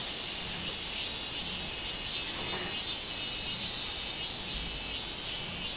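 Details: Minminzemi (robust cicada) singing on 24 July 2016: a dense, high-pitched, nearly continuous buzz with gentle rhythmic waves in loudness. Faint low background rumble underneath.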